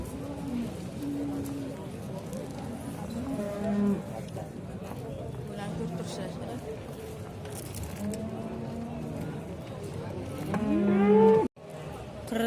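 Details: Bulls at the livestock market in Shahrixon, Uzbekistan, lowing repeatedly: several long, low, level moos spread through the clip, one louder rising moo near the end, over busy crowd chatter and men calling out sale prices in Uzbek.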